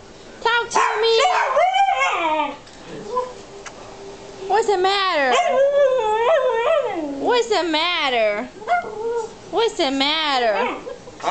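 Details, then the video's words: Alaskan husky puppy Zoey, three and a half months old, objects to the loud bark of Matty, a two-year-old morkie. She gives long, wavering, yodel-like howls that bend up and down in pitch, with a person's encouraging voice between them. "alaskan husky talking"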